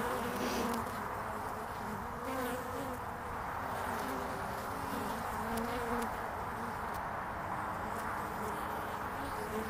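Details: Honeybees at the landing board of a hive in early spring, 22 February 2019, flying in and out: a dense, steady buzzing hum with overlapping wingbeat tones wavering up and down, continuous throughout.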